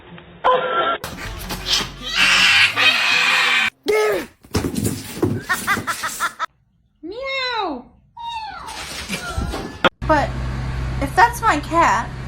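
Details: Cat meowing in a funny compilation: a few short, arched, rising-then-falling meows cluster near the middle, set among cuts of talking, laughter and background music.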